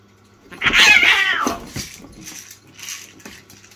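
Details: Two domestic cats indoors in a standoff that turns into a brief fight; one loud, wavering, strained yowl lasts about a second, followed by softer scuffling and faint bumping noises.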